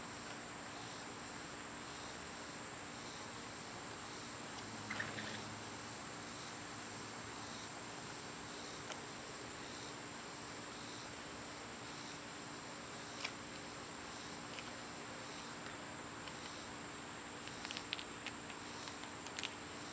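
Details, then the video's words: Summer cicada chorus: a continuous shrill tone with faint rhythmic pulses, broken by a few sharp clicks and a brief soft chirp near the middle. "Cicada sounds"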